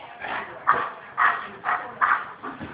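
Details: Hungry female German Shepherd vocalising to her owner to ask for food; five short, yelping barks, roughly one every half second, with a man's voice just before and after.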